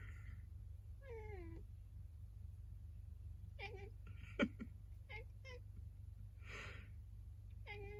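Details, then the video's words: Cat thought to be complaining after a sneeze, giving a falling drawn-out meow, then several brief chirping meows, with a sharp click, a breathy burst and a steady low hum in the room. "くしゃみすると文句を言うネコ Angry cat"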